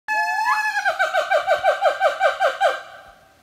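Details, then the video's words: A gibbon at Lombok Elephant Park sings a rising whoop that breaks into a fast run of bright, hooting notes. "Gibbon singing at Lombok Elephant Park"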